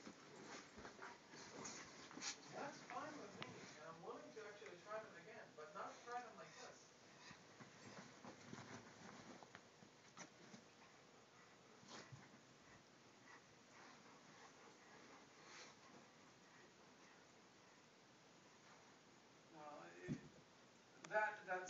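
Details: A 4-year-old male Shiba Inu romping on fresh bed pillows gives high, wavering whines and yelps in short bursts, with human voices nearby.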